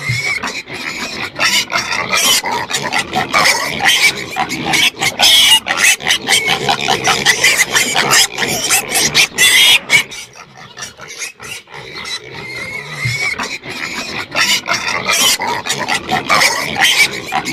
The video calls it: Pigs Screaming For Food Sound Effect